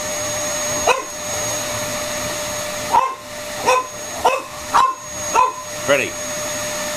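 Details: A French Bulldog, who loves the vacuum cleaner, gives short, sharp playful barks in quick bursts over the steady roar of the hoover during play time.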